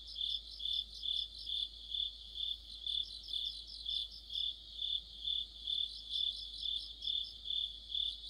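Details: Crickets and other insects chorus in deep autumn. A steady, high, shrill trill pulses about twice per second, and a fainter higher layer of chirps overlaps it. A low background hum sits underneath.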